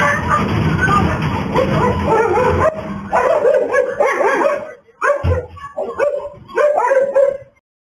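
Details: Dogs in a yard during a pit bull attack on a female dog, kept apart by a narrow fence: a loud, rough scuffle with growling opens, then sharp barks come in quick bursts with whimpers and yips between them.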